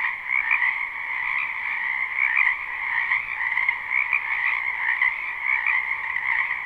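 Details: Wetland frogs in spring calling en masse behind a house, a live recording without loops; continuous dense croaking chorus with frequent brighter chirp-like accents riding on steady mid and high bands.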